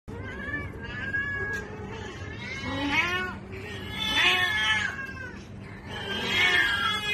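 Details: Cats in a mating context, wanting to mate, giving drawn-out wavering caterwauls that rise and fall, several long yowls overlapping in bursts through the clip, with a steady low hum underneath.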